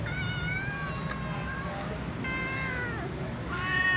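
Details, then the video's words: Sleepy little cats meow before eating with other cats: a long, slightly falling meow, then a softer bending one and a rising meow at the end, all over a constant low background hum. "Little cats meow sleepily before eating with other cats"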